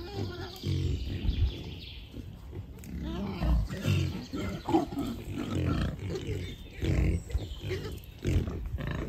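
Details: Deep, throaty grunting and snorting from wild boars in a beech forest, among them a large boar with sharp tusks; irregular low bursts over rustling leaves, with faint birdsong early on.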